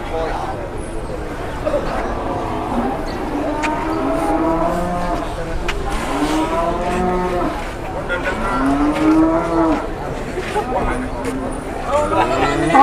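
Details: Large cattle at the Jelok cattle market in Boyolali, Indonesia, in the morning; several drawn-out harmonic moos overlap and follow one another across the clip amid crowd chatter and market bustle.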